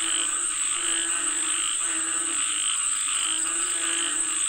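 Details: Frogs calling for rain: a dense, continuous chorus of low, throaty croaks with rich harmonic overtones, pulsing unevenly about once a second, over a constant shrill high-pitched drone.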